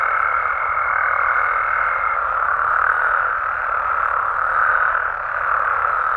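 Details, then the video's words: Nighttime Mexican frog and toad chorus, a thick wall of overlapping croaks that swells and eases slowly. A fine, level high tone sounds for the first two seconds, then drops away and leaves only the calling. "Mexican Frogs & Toads Sounds"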